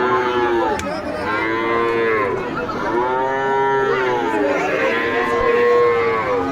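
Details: Bull calves for sale at a livestock market in Joypurhat, Bangladesh, several animals mooing in long, drawn-out, overlapping calls that gently rise and fall, one after another with hardly a pause.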